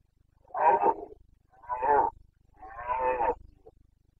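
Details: Red deer stag of the Carpathians in rut, Bucovina, 29.09.2022, breeding season: three rough, throaty roars in quick succession, each about a second long, close and powerful.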